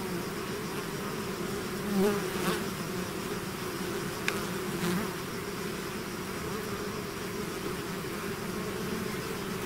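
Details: A swarm of bees out of its hive hums steadily, with close fly-bys swelling at about two seconds and again near four and five seconds over the dense low drone.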